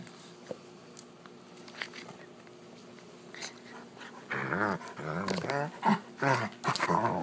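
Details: Wolf hybrid named Sakima playing at night with a female Alaskan Malamute, filmed on an iPhone; after quiet low sounds, a run of loud wavering whines and yips in the last three seconds, with a person laughing just before.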